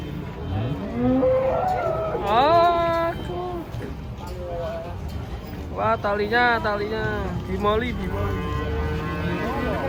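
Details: A giant, unusual cow coming down from a truck, stepped on by a companion, gives drawn-out rising moos around two and six seconds amid a steady engine rumble and background voices.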